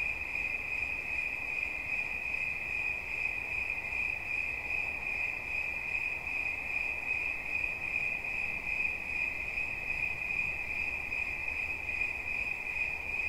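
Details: A continuous high-pitched cricket trill, even and shimmering, keeps one note for the whole stretch, set over a quiet broadband hiss with no other clear sounds.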